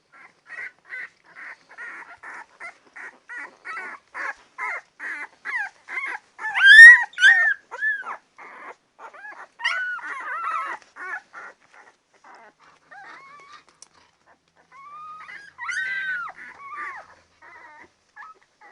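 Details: Ten-day-old Labrador Retriever puppies: a quick series of short, squeaky whimpers repeated in rapid succession, then louder arched yelps and whines, a pause, and a final burst of thin whimpers.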